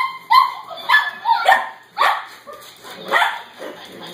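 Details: Cavalier King Charles Spaniel puppies Pippin, Jelly Bean and Skittles wrestling over a Laughing Dog toy indoors; short high yipping barks come in quick bursts about every half second, with scuffling between them.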